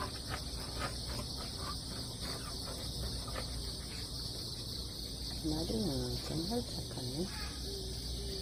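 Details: Crickets calling over damp ground just after a typhoon has passed, with cats stepping carefully nearby; a steady, shrill, unbroken high-pitched insect chorus fills the clip, and a person speaks briefly near the end.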